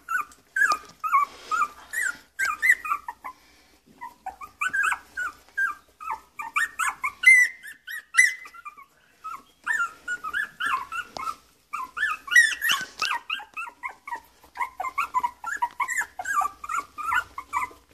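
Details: Miniature Schnauzer giving a long run of short, high, whining and yipping notes, many rising or falling, in quick bursts with brief pauses throughout.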